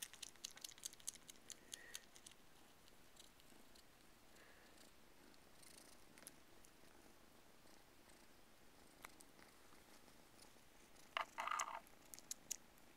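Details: Two Siamese kittens, Chloe and Keesha, nurse on Sadie the dog's toy squirrel indoors. Soft, steady low purring runs under faint clicky suckling noises, with a short burst of louder rustling near the end.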